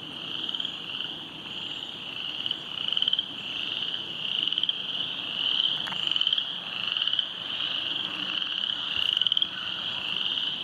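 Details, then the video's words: Frogs croaking beside the flooded Silver Creek trail after heavy rain: a dense, unbroken high-pitched chorus of overlapping trills, swelling and fading in waves with brief pulsed bursts every second or so. "silver creek trail flooding, with frogs croaking"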